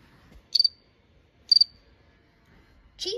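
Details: House cricket chirping: short high pulsed chirps, each a quick trill of three or four pulses, repeated about once a second in a quiet setting, with the start of a spoken word cutting in at the end.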